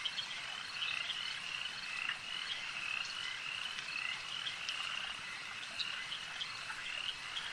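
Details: Many frogs croaking together at a lake, their high-pitched trills fused into one constant ringing chorus, with scattered short ticks and brief louder notes rising above it.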